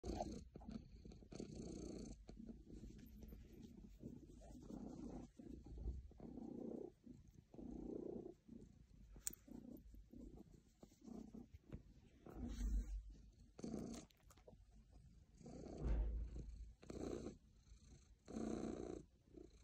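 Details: A very happy pet cat purring steadily, a low rumbling hum pulsing in breaths roughly every second, with soft shifting and rustling noises in between.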